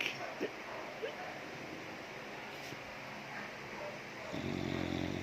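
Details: American Bully named Corona snoring while asleep; after a stretch of steady hiss, one rough, raspy breath begins near the end and holds for about a second, low and broad, over faint background noise.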